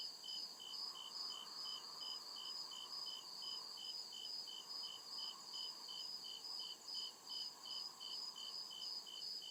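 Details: Real cricket sounds from a forest at night: evenly spaced high-pitched chirps in a steady rhythm, backed by an unbroken shrill trill and faint lower insect hum.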